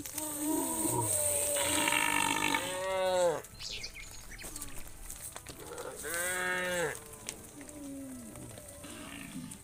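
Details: Hundreds of tame cows coming home to the farm pen as evening falls; two loud, bright moos around three and six seconds, with quieter overlapping calls from other cows and a steady hiss throughout.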